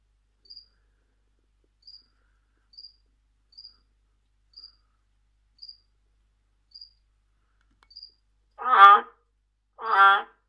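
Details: Amazon milk frog (Trachycephalus resinifictrix), a tree-hole frog, calling: two loud, pulsed, rattling croaks after a series of faint high ticks.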